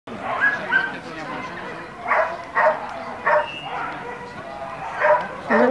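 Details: Border Collie at the Border Collie Classic 2013, first jumping round of an agility competition, giving sharp barks in a short series: five loud bursts between two and six seconds, over a background of people talking.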